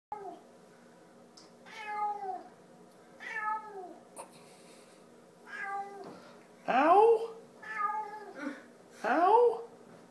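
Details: A Siamese cat, seemingly trying to tell its owner something, gives a run of loud, drawn-out meows that bend down in pitch, almost word-like, sounding like "ouch".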